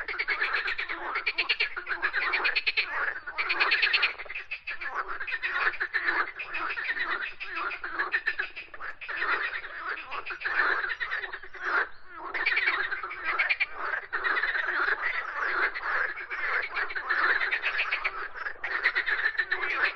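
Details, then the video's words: Sustained chorus of frogs croaking, a continuous wall of rapid rattling pulses with many callers overlapping and only brief gaps throughout. "Frogs Croaking Sounds"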